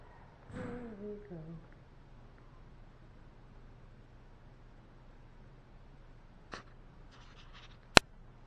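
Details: A sleepy puppy lets out a short whining vocalisation: a brief harmonic sound that starts higher and slides downward, then trails off into a quiet indoor room. Faint rustles and a sharp click follow several seconds later.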